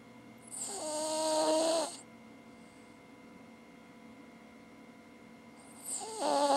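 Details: A Cavalier King Charles Spaniel snores with her tongue hanging out, in long, rasping breaths with a soft whistling edge.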